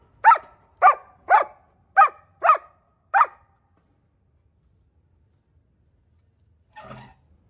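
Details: German Shepherd dog barking at home: six sharp barks, roughly one every half second, then silence and a short low rustle near the end.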